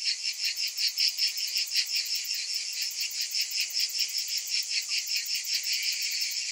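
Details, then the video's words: Massed cicadas on a summer day, producing a loud, sizzling high buzz that beats in quick regular waves, about two and a half per second, with no other sounds. "Cicadas in Summer"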